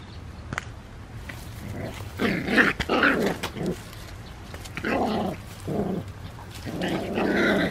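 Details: Three San'in Shiba puppies, siblings, fighting in a vegetable field where they gnaw on Chinese cabbage and run around: rough, throaty growls come in bursts about one second long, several in a row with short pauses between.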